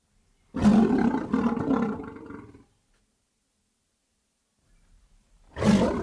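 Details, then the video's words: Lion giving a loud, raspy roar of about two seconds with a deep, rumbling base, followed by a silent gap, then another powerful roar beginning at the close. "lion sounds"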